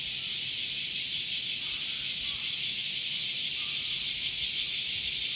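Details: Male cicadas singing in summer, producing sound by flexing drum-like tymbals in the abdomen: a dense, continuous, hissing buzz that pulses slightly and holds steady throughout, with no other clear sounds.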